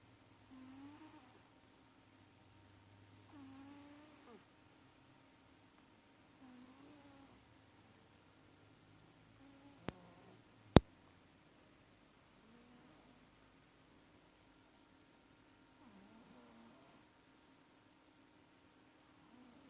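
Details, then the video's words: Sleeping cat Maxi snoring through sweet dreams, soft raspy breaths recurring about every three seconds with hissy exhales, interrupted by two sharp clicks near the middle. "CAT MAXI IS SNORING LIKE A DRUNKEN SAILOR - SWEET DREAMS - КОТ МАКСИ ХРАПИТ"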